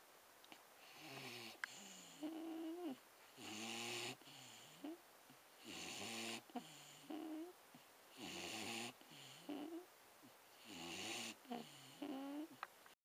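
A Staffordshire Bull Terrier snores in slow, rasping cycles, each breath a raspy rumble with a nasal wheeze.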